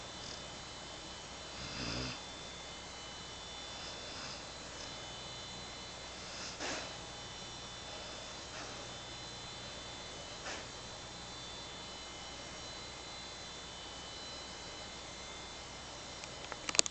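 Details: Daisy, a Bloodhound, snoring as she naps; faint breathy snores recur roughly every two seconds for the first eleven seconds, then only a steady soft hiss remains, with a brief sharp click at the very end.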